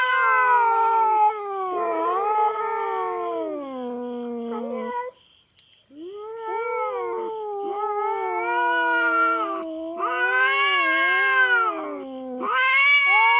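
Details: Feral cat fighting a black cat after trespassing on farm cats' territory in the Philippines: long moaning yowls falling to a low growl, a second of silence, then rising and falling howls in several loud surges, faint constant high hum.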